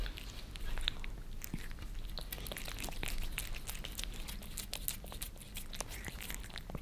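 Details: Creamy treats licked off a glass table by pet cats Lissy (Maine Coon) and Fritz (British Shorthair) in Germany: bursts of bright, moist clicks and small crunchy smacks, uneven in pace, against a quiet room.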